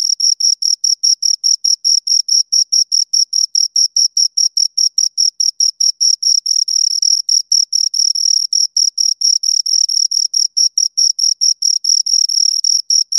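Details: Two crickets stridulating close by, producing an unbroken series of sharp, high chirps at an even quick tempo, with slight merging where their rhythms coincide; nothing else audible.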